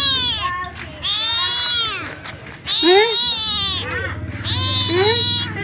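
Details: Domestic cat meowing to ask for food: three long, wavering, high-pitched meows, with shorter, softer rising calls overlapping between them.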